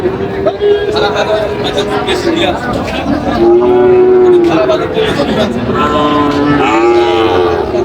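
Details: Sahiwal bull calves at a Chandpur, Bangladesh cattle market on 23 July moo repeatedly: a long, steady low call near the middle, then two shorter wavering moos, with market talk underneath.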